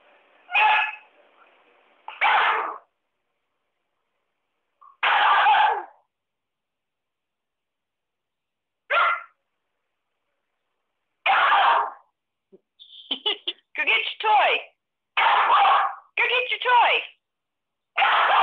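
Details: Lab-Pit mix puppy named Midnight, a young female, giving short broadband bursts of barks and yips in a quiet indoor setting, spaced irregularly with pauses, then a quicker cluster of several yelps near the end.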